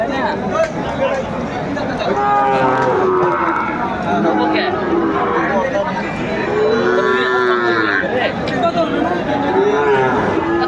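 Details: Sahiwal bull calves at a cattle market in Comilla, Bangladesh, recorded on 13 August 2024; long, wavering low moos with rising and falling harmonics sound repeatedly over loud crowd chatter and bargaining voices.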